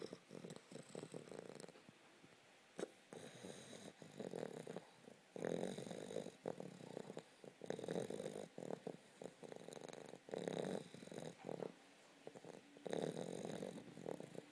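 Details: A puppy snores loudly in its sleep, each rough breathy rasp lasting around a second, with steady, regular breathing and brief quiet gaps between snores; no other sounds stand out.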